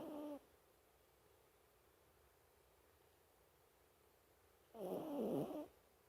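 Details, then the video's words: Asleep, a Toy Poodle gives a rough, buzzing snore, the tail of one breath at the start and then a full second-long rasping inhale after several seconds of near silence. "いびき😊snoring 😊Toypoodle mini トイプードルミニ"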